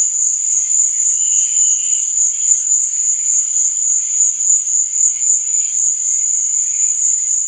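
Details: Crickets chirping at night: a steady, piercing high trill with rapid even pulses, plus a brief lower chirp early on and faint background insect calls.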